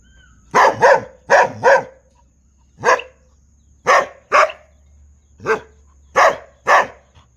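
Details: Repeated dog barks, mostly in quick doubles with brief gaps, sharp and strong over a faint steady hum.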